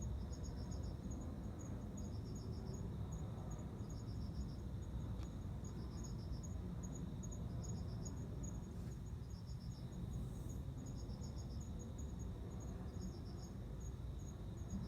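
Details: Cricket courtship song, a male attracting a female to mate, September 29; regular clusters of four to five high pulses roughly every two seconds, with a steady fine high ticking and heavy low background rumble throughout.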